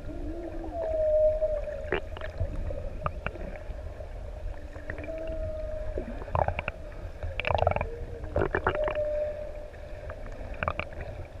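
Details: Humpback whales, one of six adults met in the open sea off ʻEua, Tonga, sing long sliding moans and tonal notes over a low underwater rumble as they come closer.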